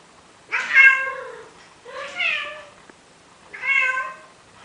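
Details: Male cat begging a female Siamese to mate in Athens, Greece, uttering three soft, cute meows in close succession, each bright at onset and sliding lower at the end, in a quiet room.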